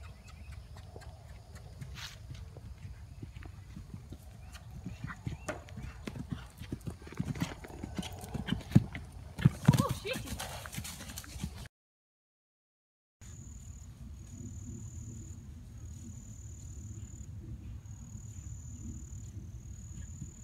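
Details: Hoofbeats of a 2012 RPSI mare being ridden over fences on her fourth jumping ride, 29 March 2016; low thudding footfalls at an uneven canter pace, with louder strides near ten seconds, then a brief gap and a steady electronic tone.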